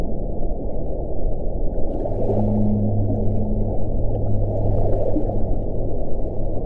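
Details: Underwater whale call: a pair of low, level tones starting about two seconds in and holding for roughly three seconds, partly buried in dense low rumbling water noise.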